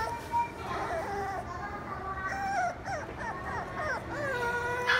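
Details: A Beagle whimpers and yelps in wavering, bending tones, several quick calls bunched near the middle, set against a low background hum.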